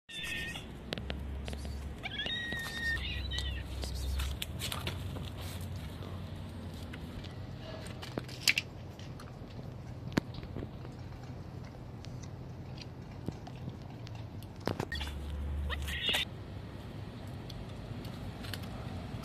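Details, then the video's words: A white domestic cat, screaming and crying for help because it was hungry, later fed. Short, strained meows sound near the start, again around three seconds, and once more near sixteen seconds, over a steady low rumble with scattered clicks and knocks. "White Cat was screaming"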